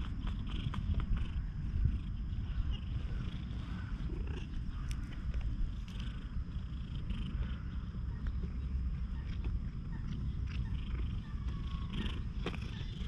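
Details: Stray cat that lost one eye, remarkably friendly toward people, purring continuously in a deep, even rumble. Recorded on a GoPro HERO8, with occasional light clicks and handling noises over the low drone.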